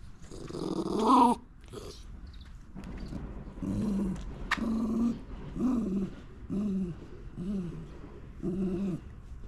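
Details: Shiba Inu named Momo, one of three living freely in a backyard in Japan, grumbling low while refusing to finish food on a sunny winter day; repeated short throaty growls and whines in bursts about every second, with a brief louder opening outburst.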